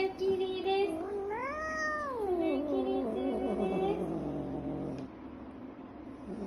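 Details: Scottish Fold cat, angry after having its nails clipped, gives a drawn-out harmonic wail that rises, holds, then slides down over about three seconds, followed by lower fading moans in a quiet room.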